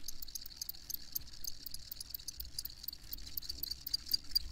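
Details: Crickets chirping steadily in a high, shrill band, with quick ticking pulses layered over a continuous buzz and a soft low rumble beneath.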